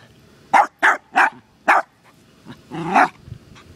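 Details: Costello, a terrier, barks at a turtle found visiting the yard: four sharp barks in quick succession, a pause, then a softer bark and a longer, rougher growling bark.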